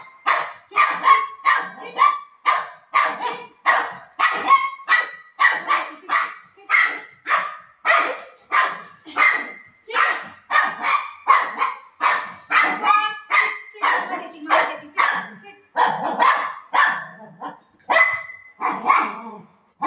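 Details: Playful Golden Retriever with its owner, giving a long run of rapid, harsh barks, roughly two each second, kept up almost without pause for twenty seconds, each bark short and noisy.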